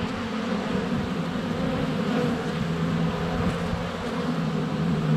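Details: Many honey bees circling close to the hive entrance in February sunshine, captured by a GoPro Hero 7 Black; unbroken low humming wall of wingbeats, with individual passing bees sliding up and down in pitch.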